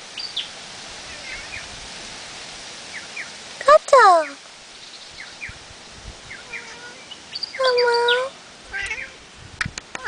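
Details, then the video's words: Siamese tortie point cat meowing, described as very talkative; a few short rising-falling meows, a strong one near four seconds and a longer one near eight seconds, over steady background hiss with clicks and faint voices. "Siamese Torty point meowing"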